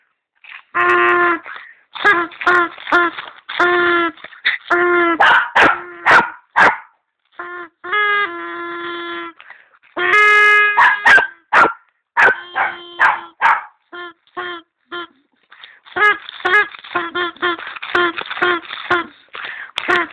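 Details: Bruno, a pet dog, barks in quick bursts of sharp, harmonic yaps with a few drawn-out whining barks between them. Short pauses break the volley, and the barking keeps going for the whole stretch.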